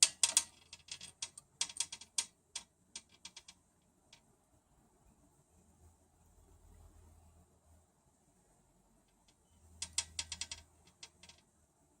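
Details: Rapid bursts of sharp ticking and tapping clicks at the start and again near the end, with a faint low hum between; no animal voice is heard.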